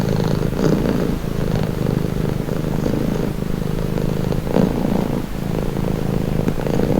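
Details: A cat purrs for calm and relaxation, a dense low rumble with faint fluttering pulses, rising and falling gently with each breath, no background noise.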